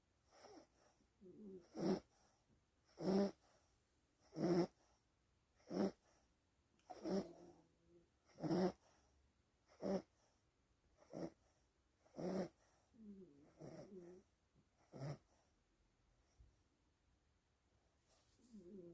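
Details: Sleeping dog snoring steadily: regular raspy, nasal snores roughly every 1.3 seconds, each a short broadband burst, with faint wheezing murmurs in some gaps and a quieter stretch near the end.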